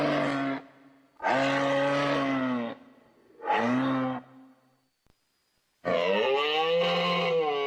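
A moose gives long, drawn-out nasal moans, each lasting one to two seconds, separated by short pauses.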